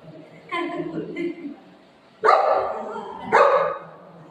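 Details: A golden retriever and a shih tzu puppy fighting. Two sharp, loud barks burst out a second apart, each with a ringing tail, after an opening stretch of speech-like voice sounds.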